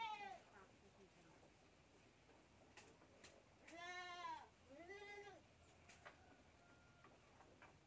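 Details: Two quick, back-to-back bleats from a goat kid drinking from a milk bottle, the first louder and trembling, the second shorter, with soft background noises before and after.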